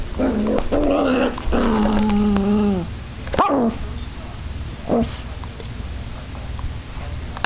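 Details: Two Chihuahuas, Bella and Sasha, playing tug of war, with Bella getting fierce in play: long tonal growling whines that waver and slide downward, then two sharp yelps near the three- and five-second marks against a quiet indoor background.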